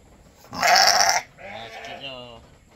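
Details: A goat being milked to feed a newborn kid gives one strong, shaky bleat, followed by a softer, quavering trailing call.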